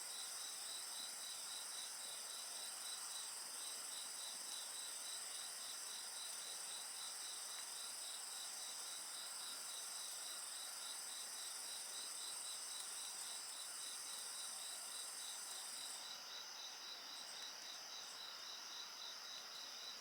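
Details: Night chorus of insects by a bonfire, a rapid evenly pulsed trill layered under constant high shrill tones; the topmost band drops out after about sixteen seconds while the rest carries on.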